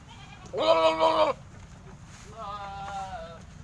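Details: Peranakan Etawah goat in Aceh Besar, Indonesia, giving a loud, wavering bleat of under a second, followed by a softer, quavering second bleat; faint background murmur.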